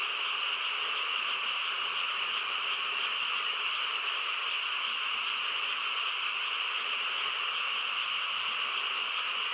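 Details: Many frogs chorusing on a still countryside night, producing an uninterrupted, evenly pitched hum of merged voices that stays steady from start to finish.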